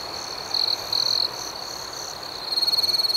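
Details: Crickets at night: a steady, shrill high-pitched trill, with two brief louder chirp bursts early on and a run of rapid, evenly pulsed chirps over the final second; no other sounds stand out.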